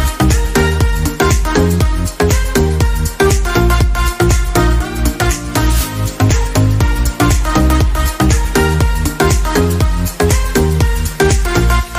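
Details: Loud electronic dance music with a pounding beat about once a second fills the whole stretch.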